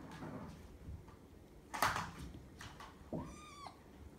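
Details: One of Belle's nine-week-old foster kittens, kept indoors in a foster room with littermates and two orphans, gives a short clear meow that rises then holds level, after a sharp knock and quiet rustling.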